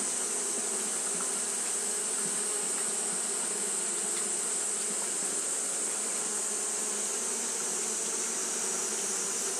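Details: Japanese honey bees keep up their fanning in the heat: a flat, droning buzz with faint flickers of individual wingbeats and a constant high whine behind it.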